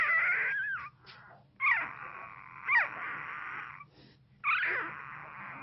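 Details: A one-week-old Pit Bull puppy whimpers during an intense dream in its sleep, with high, thin, wavering squeaks in drawn-out bursts.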